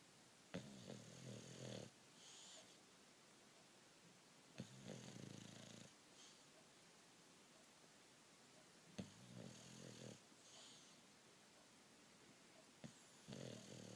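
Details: Bulldog fast asleep, snoring in slow cycles: a rough, buzzy inhaled snore roughly every four seconds, three full breaths heard, each followed by a softer wheezy exhale, quiet room in between.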